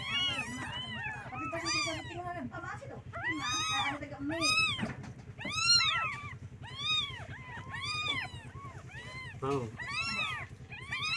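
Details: Several kittens call their mother, wanting milk: a steady stream of high, arched, overlapping mews, about one per second, over a constant low hum, with a soft voice talking briefly.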